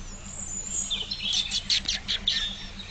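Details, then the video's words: Female and baby guinea pigs in a friendly, noisy group at Exmoor Zoo in Somerset, enjoying the sunshine and talking to each other: a quick run of about eight bright, high squeaks over a steady low hum. "Friendly Guinea Pigs at Exmoor Zoo. Furry and Noisy, cute little animals."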